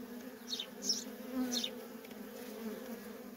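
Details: Low steady hum of worker honey bees in constant traffic at a feral colony, with two or three quick high chirps early on.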